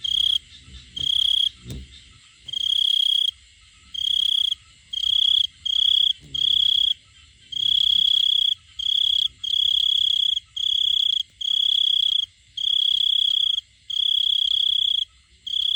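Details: Male cricket calling for a female with a steady run of high, shrill chirp bursts roughly every second, becoming louder and more regular after the first few seconds; faint soft knocks early on.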